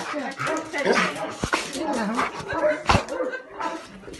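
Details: Alaskan Malamute greeting its owner on return after being away by plane, a reunion after separation; wavering, whiny moans and yelping howls rising and falling, mixed with excited human voices talking over the dog.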